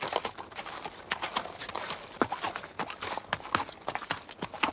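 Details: Short burst of a horse trotting while grazing in the wild: loose, irregular clip-clop knocks, roughly one a second with smaller taps between, against a hissy outdoor backdrop.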